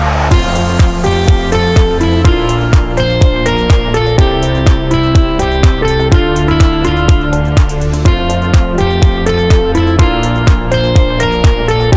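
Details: Upbeat electronic music with a steady plucked-guitar beat and a strong bass pulse plays throughout, with no animal sounds.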